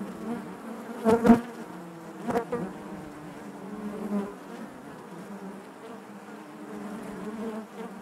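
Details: Inside a honey bee hive, a steady droning hum of many bees, broken near the start by a couple of sharp knocking sounds, then settling into an even, wavering buzz.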